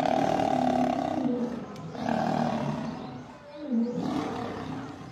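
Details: Male lion set upon by several lionesses: sustained, strained roaring growls with a steady low tone, broken by a brief pause and then renewed, harsh snarling.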